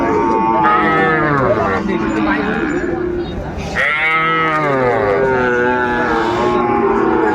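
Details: Sahiwal bull calves at a busy cattle market in Kurigram, Bangladesh, on 14 December 2024; two long, rich lowing moos, the first near the start and a second after a brief lull, set against constant crowd chatter and bargaining voices.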